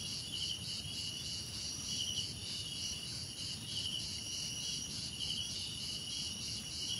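Crickets chirp steadily, a high shimmering pulse that never pauses.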